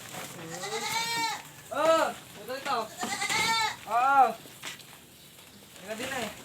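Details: Goats confined in a pen during very hot weather bleat repeatedly, arched, vibrato-laden cries in quick succession, some overlapping, while people talk nearby about feeding them.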